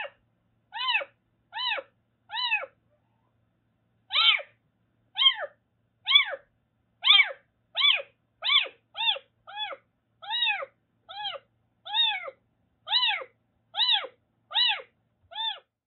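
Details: Rescued Siamese mix kitten named Daichi, a former stray in Kagoshima, calls indoors in a rapid run of about nineteen short, clear, downward-arching meows at an uneven pace against a silent background.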